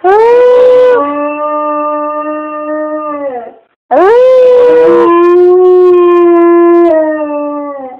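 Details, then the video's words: Owner-prompted howling from a pet dog: two long wavering howls split by a moment of silence, each opening high and settling into a held, slightly falling note. "Making my dog howl"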